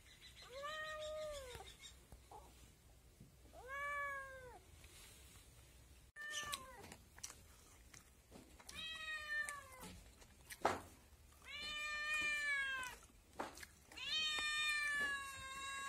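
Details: Young kitten giving a series of short, arched meows, roughly twenty-two a minute at an uneven pace, some bright and high, with clicks and handling noises between calls.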